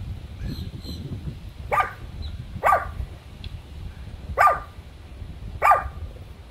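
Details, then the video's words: Chihuahua barking at a turtle: four sharp, bright barks spaced about a second apart, with a faint chirping bird in the background and a woman's low voice between barks. "Chihuahua vs Turtle"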